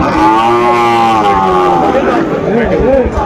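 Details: Sahiwal bull at a cattle market in Dhaka, Bangladesh, 26 December 2024, where farmers buy young bulls: a long, steady, harmonic moo for about two seconds, then a wavering tail, with people's voices around.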